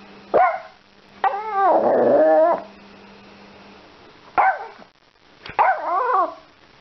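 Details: Yorkshire Terrier helping with shopping, indoors: a sharp high yip, then a drawn-out, wavering whining bark lasting over a second, followed after a pause by two more short yapping barks, with a faint steady hum underneath.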